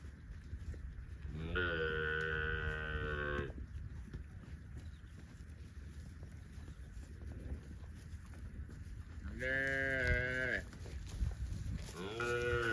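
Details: Cows roaming in the fields: a steady two-second moo early on, a long quiet stretch of low rumbling background, then a shorter moo around ten seconds and another starting at the very end.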